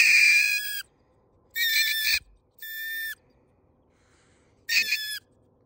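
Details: Mink live-trapped from under a house before relocation, giving four shrill, harsh screeches of about half a second each, separated by short silences.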